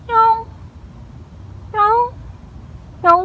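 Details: Crying stray street cat encountered after work at night gives three loud rising meows, the last sharply upswept and short, separated by about a second and a half of quiet.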